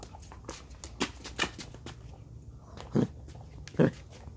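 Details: Alaskan husky playing ball indoors, giving two short, gruff woofs close together near the end, after scattered soft thumps and knocks in a small room.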